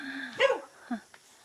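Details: Dog barking in a remote high mountain village in China, where elderly residents keep goats and bees; its puppies are nearby. Two short, sharp barks in quick succession, then quiet.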